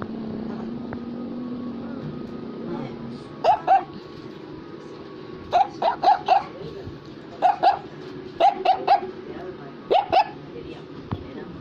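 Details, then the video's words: An Affenpinscher, a toy dog breed, barks in short sharp bursts, mostly in pairs and triplets, spaced irregularly across about eight seconds, with indoor room sound and faint voices between the barks. "Affenpinscher is Barking"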